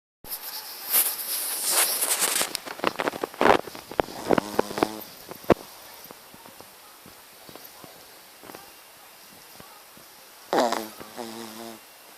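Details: Shih Tzu dog named Matilda snoring: two drawn-out, buzzy snores with stacked low tones, one near the middle and one near the end, after a burst of rustling clicks and scraping at the start.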